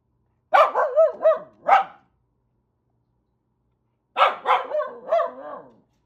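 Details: Warning off cranes and geese, the corgi Renfri lets out a burst of four rapid barks, falls silent for two seconds, then fires another run of three or four barks with a growly edge.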